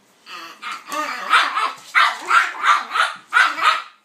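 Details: A pitbull and a King Charles spaniel, Kaiser and Viki, romping together: a dense, rapid string of about ten rough, growly barks, nearly continuous with only brief gaps between them.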